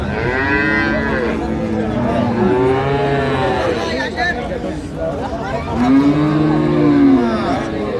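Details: At Ambari cattle market in Dinajpur, Bangladesh, improved-breed dairy cows and calves low repeatedly; several overlapping drawn-out moos, some rising then falling, over a busy background of chatter.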